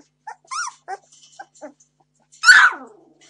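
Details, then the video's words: Seventeen-day-old Entlebucher Mountain Dog puppy demanding food: a few thin squeaks and whimpers, then after a pause one loud, harsh squealing cry that falls away. "Entlebucher Mountain Dog Puppies 17 days old - demanding food"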